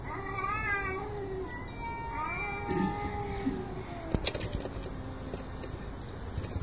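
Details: Male cats drawn at night to a female in heat, giving long wavering yowls with slowly sliding pitch, several drawn-out cries overlapping, over a steady low background hum.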